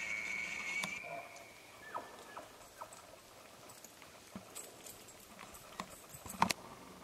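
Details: Elk bull in northern New Mexico bugles in rut: a high, thin whistle held for about a second, then clicks and knocks.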